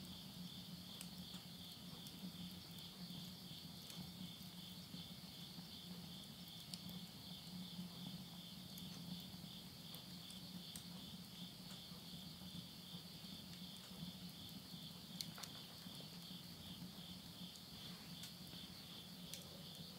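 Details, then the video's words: Late-summer insect voices fill a midnight recording from rural Yurihama, Tottori, Japan, September 2020. An unbroken high, finely pulsed trill persists for the whole stretch. Occasional snaps come from burning wood in a stove, over a low hum. "mid night the voice of insects"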